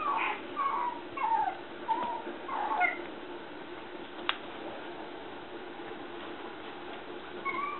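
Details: Male red Toy Poodle puppy, 54 days old, born 12 February 2015, recorded 7 April in Shiga, Japan; a run of high, thin whining whimpers rising and falling in the first three seconds, then quiet with faint whines near the end.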